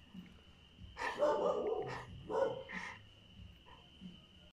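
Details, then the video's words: Dog in a garden on a summer night, giving a short cluster of three rough, hoarse barks close together, then quieter, with a constant thin high tone running underneath throughout. "Barking at the dogs, summer night scenes in Flo's garden"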